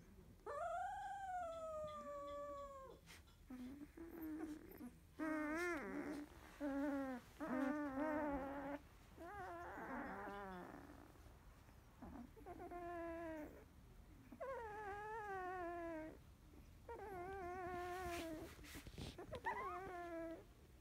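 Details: Labrador Retriever puppy of the field line, 16 days old, eyes recently opened, after a feed; a run of plaintive whines and short choppy yelps, some wavering, several descending, coming in bursts roughly every one to two seconds.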